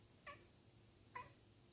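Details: Bengal kitten making strange noises while looking outside from a conservatory: two short, high, harmonic chirps about a second apart, with quiet room hum between them.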